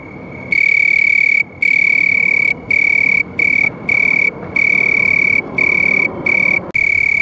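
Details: Sharp, steady house cricket trill starting after a quiet half second, then running in bursts of about half a second to a second with brief gaps, against a soft background hiss.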